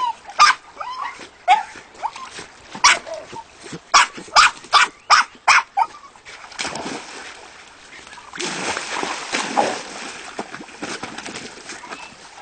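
A Jack Russell Terrier gives a run of sharp, high barks, followed by splashing and rustling noise.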